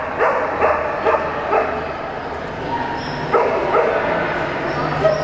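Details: Cardigan Welsh Corgi barking while running a Jumpers agility course at a Portland trial, September 2007. Brisk clusters of barks alternate with short pauses against a continuous hum of crowd and venue noise.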